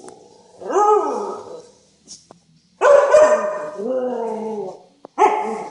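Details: Adult Siberian Huskies playing with a Siberian Husky puppy. Three loud, drawn-out, yowling barks rise and then slide down over a rich stack of harmonics. Short silent gaps separate them.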